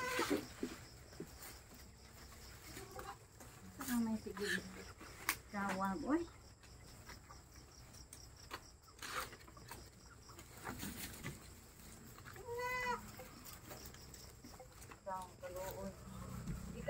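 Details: Goats at a goat pen reached late at night, several harmonic bleats around four to six seconds and again near thirteen and fifteen seconds, with people talking nearby and background noise.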